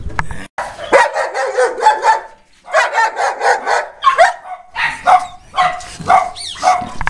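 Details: Boerboels at Delatro Boerboels, visited 30 October 2013, barking in a rapid, continuous chorus of overlapping harsh barks with brief pauses, several dogs calling together.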